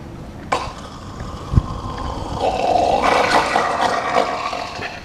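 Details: A male seal at Henry Vilas Zoo, Madison, Wisconsin, on 23 July 2016 gives an unusual gurgling, throaty call like water draining, rising into a rough growl.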